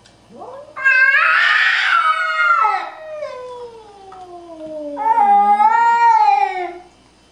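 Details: Domestic cats Kyle and Kramer, a Scottish Fold and a Nebelung, feuding in a fight. A loud, harmonic yowl swells and wavers, then slides into a long descending wail. A second strained, rising yowl follows near the end; no other sounds.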